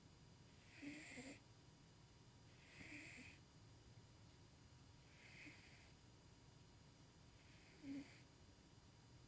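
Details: Tuxie, a male pet cat, snoring while asleep and dreaming in a dim room, heard snoring for the first time; soft hissing, wheezy breaths recur about every two and a half seconds, four in all.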